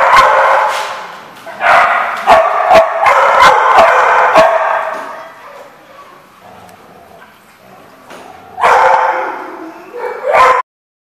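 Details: Dog barking on 31 October 2014, rapid runs of sharp barks for the first few seconds, a quieter lull, then another loud burst of barking near the end.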